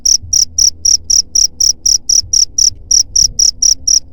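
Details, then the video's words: Loud cricket chirping for keeping rats away: crisp high pulses repeating about four times a second without a break, over a faint low hum. "SUARA JANGKRIK PENGUSIR HAMA TIKUS"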